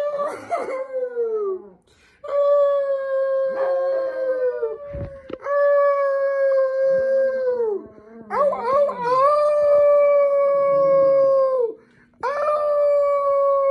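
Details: Several Chihuahua dogs howling together: long sustained tonal howls overlapping, some wavering and rising at the start, with a brief yip-like burst and a low hum in the background.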